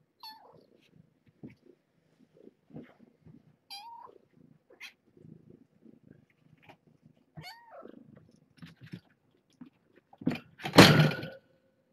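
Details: Cat indoors in a small room at bedtime medicine time for a foster litter of kittens and their stray mother; three short, clear meows, each rising then falling, spaced about three to four seconds apart, soft rustling between, then a loud handling noise at the end.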